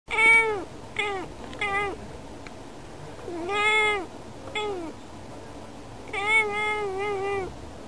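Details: Female house cat meowing at birds outside a window, as if wanting to play with them together; a series of short, clear, harmonic meows with falling pitch, in three bursts with pauses between, indoors.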